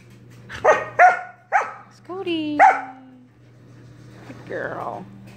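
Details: Dog Sorbetto barking at his big sister Biscotti while playing indoors: quick run of short barks, a sliding whine, then a softer drawn-out sound near the end, with a low steady hum.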